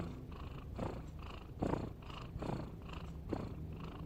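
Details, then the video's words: Sleeping cat snoring: soft, rough, breathy rasps in a steady rhythm of a little over one per second, low and muffled, in a quiet room. "Suara Kucing Ngorok"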